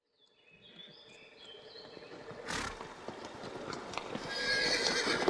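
A horse gives a high, quavering neigh that slides downward, followed by rough, breathy noise.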